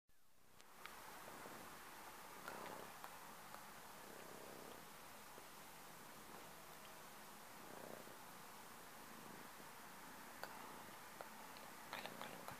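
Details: A domestic cat purring quietly and steadily, a soft low rumble under a hissy background, with occasional light rustles and clicks.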